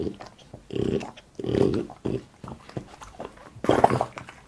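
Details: French Bulldog named Boss chewing food indoors, mukbang style: rounded low bursts of munching and gnawing about every half second, some with a throaty groan, ending in a louder wet crunch.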